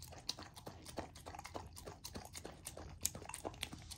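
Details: Female Golden Retriever puppy eating a raw dog food dinner, partly frozen to make her chew slowly; soft irregular crunches and smacks, roughly one to two per second, at low level.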